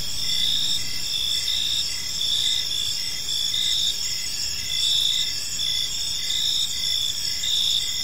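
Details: Chirping crickets fill an evening park, high steady trills joined by pulsed chirps repeating about once every second or so, several callers overlapping above a gentle low hum.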